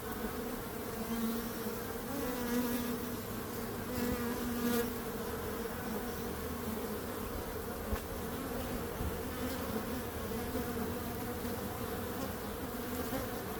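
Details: Steady droning hum of many bees, a dense continuous buzz with a low, even pitch that holds without pause; brief, slightly louder swells rise around the second and fifth seconds.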